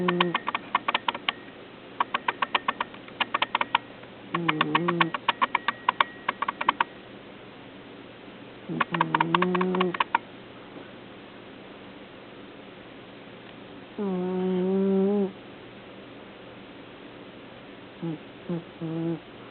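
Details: Megan, a pet cat, snoring: raspy, rapidly pulsed breaths in bursts of one to two seconds separated by short pauses, with a smoother voiced tone near fourteen seconds and a few brief clicks near the end.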